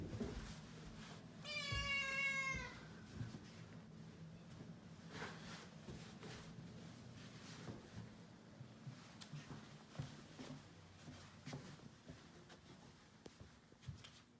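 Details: At New Year, on its 67th day in its new home, one of two rescue kittens, Shishimaru and Nana, lets out a short, bright meow that falls slightly while exploring the stairs indoors. Quiet room noise and faint taps follow.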